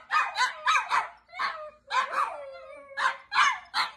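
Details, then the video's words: High-pitched yips from Chihuahuas, quick barks in pairs and triplets, with a thin whining howl sliding downward between them. "My Ants Chihuahua dogs barking and hauling"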